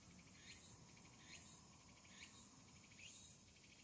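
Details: Evening song of a tsukutsukuboshi cicada in early August; separate rising chirps, each under half a second, repeat roughly every 0.8 seconds over faint background.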